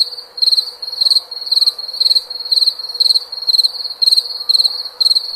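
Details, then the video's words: Shrill cricket chirps, each a tight burst of about four pulses, repeating at an even pace around twice per second, with a steady faint drone underneath. "SOM DE GRILO"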